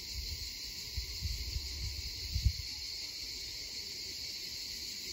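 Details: Many cicadas sing together in a steady, high, hissing drone that never pauses, in a wooded area near the airport in Gelendzhik in 2020, with roosters also crowing.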